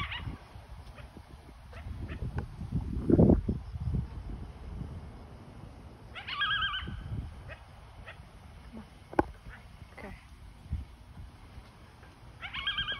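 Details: Coyote (Canis latrans), howl.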